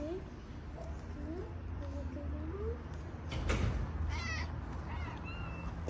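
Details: Morocco street scene where a stray cat drives a calico cat away; soft drawn-out meows at first, then a sharp clatter and brief higher chirping cries against steady traffic hum and a human voice.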